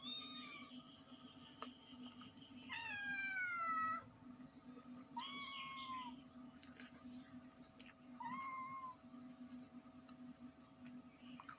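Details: Mother cat and kittens meowing loudly: a long, strained meow with a drawn-out falling tail, followed by shorter arched mews spaced a few seconds apart, against a constant low hum.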